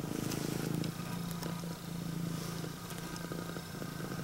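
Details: Female Scottish Fold cat, prick-eared, red tabby and white, greeting its owner with a deep purr; a low continuous rattling hum, louder for the first second then steady and softer, under light rustling.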